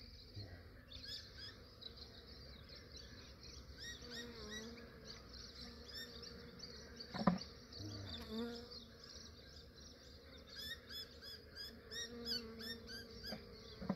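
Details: A massive honey bee swarm collected early in the morning in Australia, before the day warmed up. A steady low hum comes and goes as bees pass close by, under a background of chirping birds and one sharp knock.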